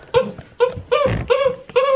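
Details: Six-week-old Great Dane puppies during their first bath, which they hated; five high, strongly harmonic whining cries in quick succession, each steady in pitch and slightly falling at the end, separated by short gaps, in a small indoor room.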